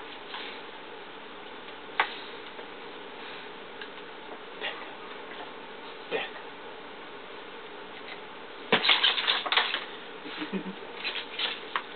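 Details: Indoor clatter and knocks with faint speech-like murmur, and no clear animal voice. A louder burst of scraping and thumps comes near the end.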